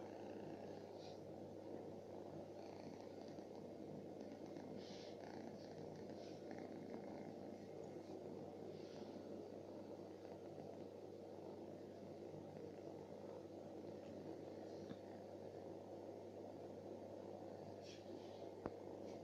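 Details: Sleeping stray cat living on the street purrs in a continuous low, even rumble for about nineteen seconds, unbroken and steady, with faint scattered high clicks and rustles over it.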